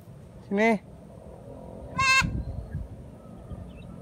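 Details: Two loud, trembling bleats from a kid goat eager to eat newly cut grass, the first lower and wavering, the second higher and brighter, about a second and a half apart, with low rustling afterwards.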